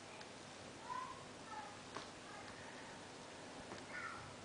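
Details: Ten-week-old Bengal kittens at play, offspring of Lily and Romeo, giving three soft, brief high mews spaced across a few seconds over a quiet indoor background with faint clicks and rustling.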